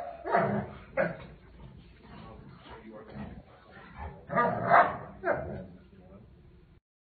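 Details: Doberman Pinscher and Boxer play fighting: rough, broadband barks and growling bursts at irregular intervals, with a louder cluster of barks midway, mixed with people talking.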